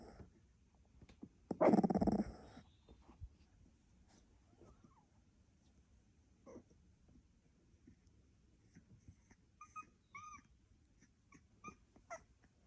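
A sleeping Staffordshire Bull Terrier puppy gives a low, rumbling growl that blends into snoring.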